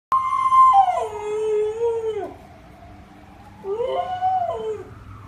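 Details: A Border Collie howls at a passing ambulance siren, a long, wavering howl sliding downward, then a second rising and falling howl.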